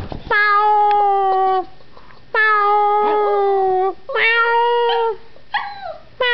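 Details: Howie, a young Yorkshire Terrier indoors, howls for the first time, set off by meowing: drawn-out steady tones of about a second and a half, repeated with short gaps, ending in higher wavering yips.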